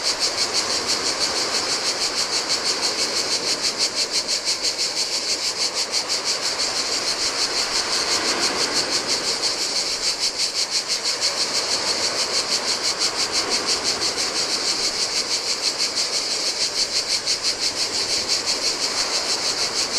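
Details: Heat-loving cicadas on a deserted Greek island shore by the Adriatic keep up a bright, sizzling buzz with a regular pulse near three beats per second, while turquoise waves rise and fall in a low rushing wash.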